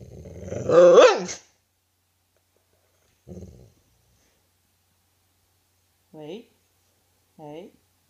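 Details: Husky begging for its owner's vegetables indoors: one loud rising-then-falling groan, a brief low grumble, then two short, high, whiny yips a second apart.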